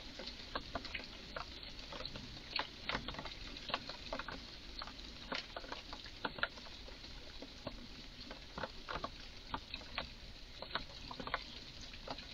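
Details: In a garden, a clearly excited red squirrel keeps up rapid, uneven clicking chatter, bursts of short percussive chucks spaced fractions of a second apart against quiet hiss.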